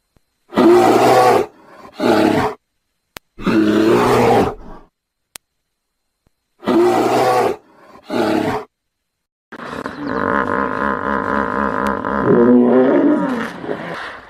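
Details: Hippopotamus giving paired loud, harsh honking bursts, repeated twice, then a long continuous pulsing bellow that rises into wobbling honks near the end.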